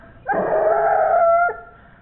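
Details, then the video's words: A 17-month-old Gascon Saintongeois hound trailing wild boar gives one sustained, tonal, howling bay lasting just over a second. Its pitch stays level and it breaks off sharply at the end against a quiet background. "El Tremendo Gascon saintongeois de 17 meses en rastro jabali"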